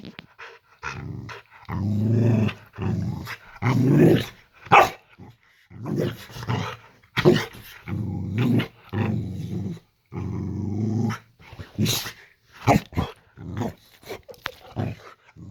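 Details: Layla, a Boxer dog, growls at bedtime in a bedroom while her owners lie in bed watching a film. Low, rumbling growls come in short bursts of a second or two, separated by pauses, with a voice and a few sharp clicks in between.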